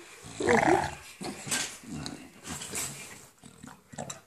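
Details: An English Bulldog playing with a tennis ball makes its "Gremlin/monster" sound: low, rumbling growls and grumbles in bursts, with a person speaking briefly.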